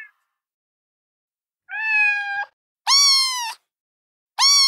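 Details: Three kitten meows after a quiet start: one level, slightly drawn-out cry, then two shriller, piercing calls with strong high overtones, each lasting under a second.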